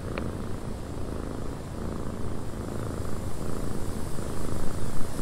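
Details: Cat purring inside a windy cabin, a soft, even, low rumble that grows slightly louder toward the end, opening with one short sharp click over faint airy hiss.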